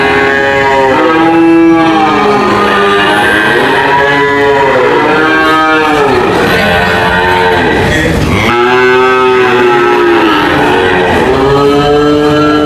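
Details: Several cows mooing together, deep harmonic lows rising and falling in arcs, one call overlapping the next, a sharper burst near the middle, continuous and loud with no quiet gaps.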